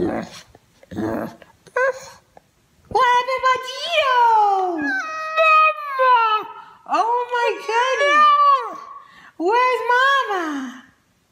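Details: Pet dog "talking" indoors after its owner repeatedly coaxes it to say hello: long, wavering, howl-like moans that rise and fall in drawn-out syllables, with brief human voice and noises at the start.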